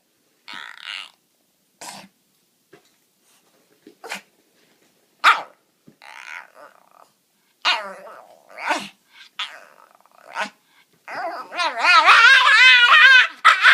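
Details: Sushi the dog begging for popcorn: scattered short yips and soft growly barks at first, then a loud, sustained, wavering high-pitched scream that builds and fills the last few seconds.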